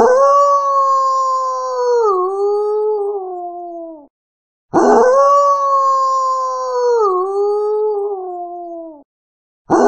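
A wolf gives long, smooth howls that hold a steady pitch, then dip and slide lower.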